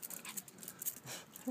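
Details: A female Chihuahua on a holiday evening walk back from the beach in Sainte-Marie-la-Mer, playing with her plush duck toy, pants and snuffles in quick, breathy huffs with a soft whimper.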